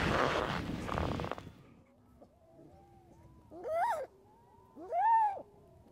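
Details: A newborn yellow-coat harp seal pup gives two wailing, rising-then-falling cries to its mother, begging for milk.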